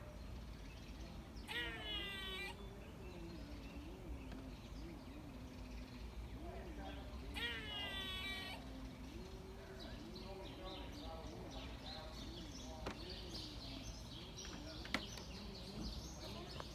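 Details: Squirrel giving cat-like sounds: two harsh, buzzy, mewing bursts about six seconds apart, each lasting roughly a second, over steady low rumble with wavering murmur-like tones and scattered faint chirps.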